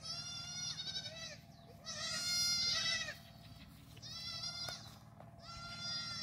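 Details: Several young black goats on a Gimhae, South Korea farm in July 2022, romping together; overlapping wavering bleats from more than one kid, coming in bursts about every one to two seconds over a low background hum.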